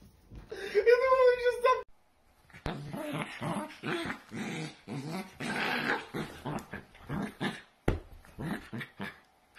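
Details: Dachshund indoors: a drawn-out, wavering whine opens, then a run of short, rough growling pulses about three per second, with human speech mixed in.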